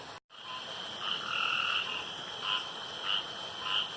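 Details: Male frogs calling beside a pond at night; a brief dropout, then a drawn-out tonal note followed by short ringing calls repeated roughly every half second over a hissing background.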